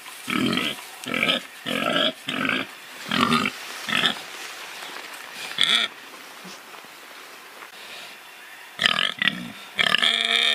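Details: Domestic pig giving short, harsh, rasping grunts and oinks in rapid bursts, first a run of about seven, then a quiet stretch with faint noises, then a few louder squealing grunts at the end.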